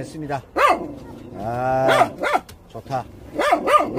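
Jindo puppies give high, arching whines that rise and fall, repeated in short bursts.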